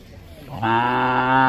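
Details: Bullock lowing: after a quiet start, one steady, deep, droning moo begins about halfway through and holds to the end, flat in pitch and rich in overtones.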